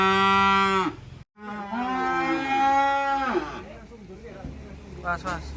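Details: A black Qurban cow unloading from a truck, arriving from an inland farm in Indonesia; a short loud moo breaks off abruptly, followed by a second longer bellow that fades into murmuring voices and noise.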